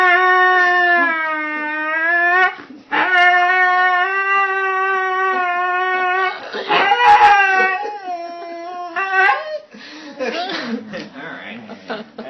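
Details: Husky wearing doggles, excited to go for a ride: long, steady howling notes with strong harmonics, broken by short gaps, then wavering, yipping whines toward the end.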